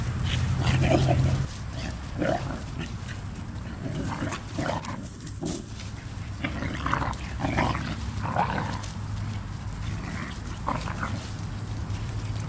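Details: Zelda, a female German Shepherd puppy at puppy camp during training, gives a run of short, irregular, broadband bursts with a low rumble beneath, while a trainer speaks between them.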